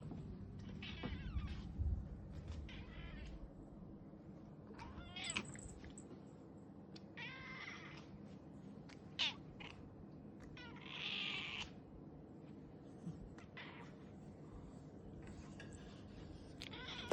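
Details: Domestic cat giving a series of short, bright meows spaced a few seconds apart over a steady low background hum.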